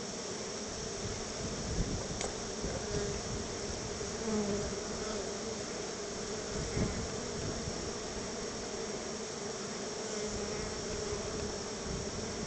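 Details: Honey bees at their hive, being gifted store-bought honey a little at a time as a treat, with many coming out to meet the keeper; a steady droning hum under broad hiss, with occasional louder buzzing passes close by.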